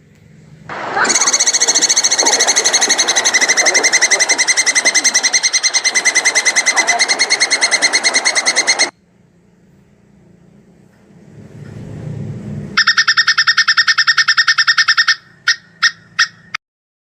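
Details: Plantain squirrel (tupai kelapa) giving a mating call with long breath: a rapid, unbroken pulsed chatter lasting about eight seconds. A low rumbling pause follows, then a shorter bright burst and four separate loud pulses.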